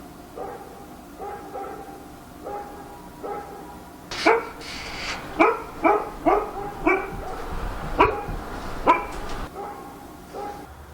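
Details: Night-time barking of a dog in Korea, opening with soft repeated muffled yaps about a second apart, then a burst of loud, sharp barks roughly every half second, against quiet ambient hum.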